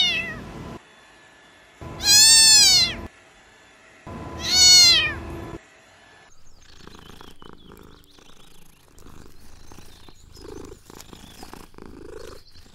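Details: Kittens at play in a garden outdoors: two loud, high, strongly arched meows about two seconds apart, followed by soft rustling and faint scattered noises.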